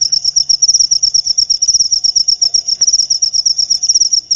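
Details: Cricket chirping, used to drive rats away: a high, shrill trill of rapid pulses, pulsing in quick bursts about a dozen per second, steady and unbroken throughout, with faint low rumble beneath.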